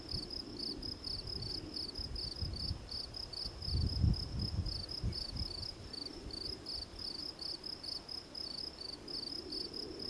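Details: Gryllus campestris, the field cricket, giving rapid, evenly spaced shrill chirps, roughly three each second, over a low rumble of background noise that rises around the middle.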